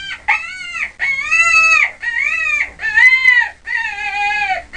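A rabbit screams in a run of shrill, wailing cries, each rising and falling, with brief gaps between.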